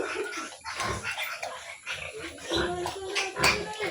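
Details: Sow on a farm, heard as a run of rough grunts and short squeals through about four seconds, with broad noisy bursts and some background clatter.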